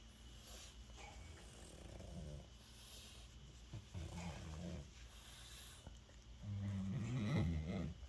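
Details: A male French Bulldog rolled over for belly rubs makes its happy noise: low, rumbling grunts and snorts that swell into a louder, throaty groan near the end, while a person coos softly.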